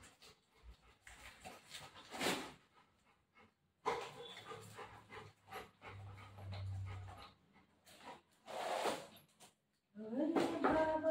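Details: Golden retriever dog at play with its owner, giving rough, breathy bursts of panting and snuffling in uneven clusters, with short gaps of quiet between them and a few brief tonal squeaks near the end.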